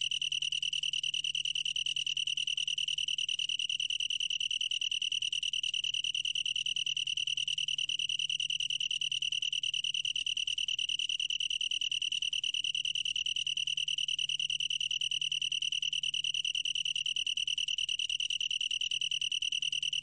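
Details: Long-tailed tree cricket singing a continuous high, ringing trill, steady and unbroken for the whole stretch with a faint pulsing texture; no other clear sounds.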